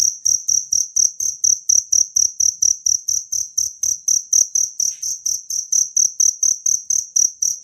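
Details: Natural cricket sound used as a master track for training songbirds: loud, high, ringing chirps pulsed steadily about twice a second, each pulse with a low thump beneath, a faint brief click midway.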